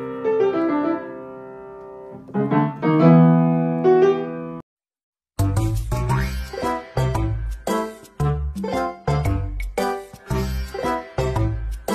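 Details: Bouncy electric-piano children's music fills the stretch, broken by a brief silent gap, with no animal sounds heard.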